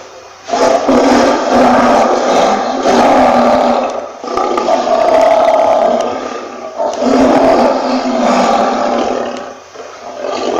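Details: Lion roaring in three long, coarse, powerful bursts of a few seconds each, with sharp onsets and short pauses between them.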